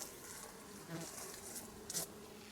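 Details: Western honey bees buzzing while feeding in fallen fruit under fruit trees with broken branches, with no flowering, before a forecast storm; a soft steady hum with brief louder buzzes passing close, over a faint airy hiss.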